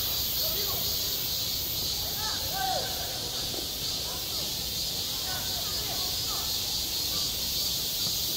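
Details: At a school playground in high summer, cicadas produce an unbroken high buzzing chorus while scattered children's voices and shouts sound faintly in the background.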